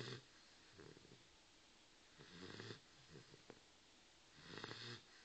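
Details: Soft snoring from Brutus, a Dogue de Bordeaux, in a small room. Three low, wheezy rasping breaths come a couple of seconds apart against quiet background hiss.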